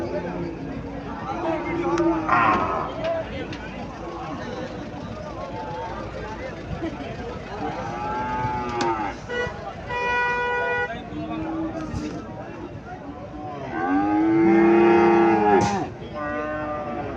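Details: Cow (gabhi) for sale at Chandimura cattle market, Cumilla, Bangladesh: a brief moo near the middle, then a long, loud, drawn-out moo near the end, amid chatter of buyers and sellers, music and occasional vehicle sounds.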